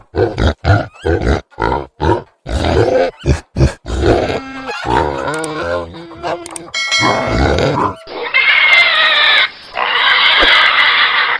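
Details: Pig giving a fast series of short, throaty grunts for about four seconds, then longer, drawn-out harmonic grunts and snorts, ending in loud, harsh, sustained squealing from roughly eight to eleven seconds.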